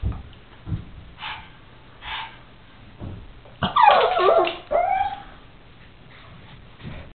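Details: Noisy pug indoors gives soft breathy huffs, then a burst of loud, quavering whines and yelps with bent, sliding pitch, trailing off into quieter snorts.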